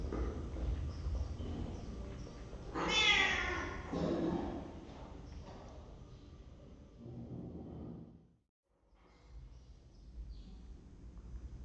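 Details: A cat in a cat room on webcam, 23 December 2015, gives one loud, rising-then-falling meow near the three-second mark, followed by a softer call and low background rumble and thumps.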